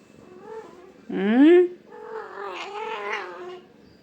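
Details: An angry domestic cat gives a low drawn-out growling moan, then a loud rising yowl, followed by wavering wails, while a person speaks quietly in Kannada nearby.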